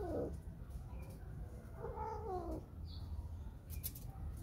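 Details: Whisky, a spayed female cat in heat looking for a male, gives a short falling cry and then a wavering, harmonic wail amid low background rumble and a few faint clicks.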